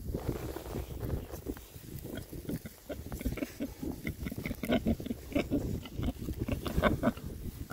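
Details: Six rare breed Oxford Sandy and Black pigs out on a winter forage between storms, grunting steadily; short low oinks come thick and fast, with a few brighter tonal grunts near the end amid rooting and rustling.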